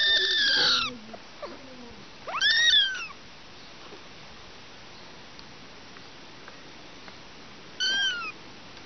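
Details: A mother cat and three kittens give three clear meows: a loud strained one at the start, a rising-falling mew near the middle, and a shorter one at the end, with quiet room noise in between.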